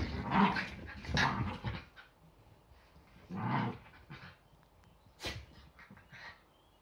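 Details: Yorkshire Terriers finishing their morning play fight on a Sunday, just before breakfast: a few gruff growls and snarls come in short bursts, then quieter pauses with light rustling.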